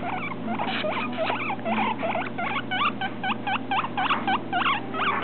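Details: Baby guinea pig walking on the floor for the first time, making lots of noise; rapid series of high squeaky chirps and wheeks, each with a sharp upward-then-down inflection, repeated several times a second throughout, with light pattering underneath.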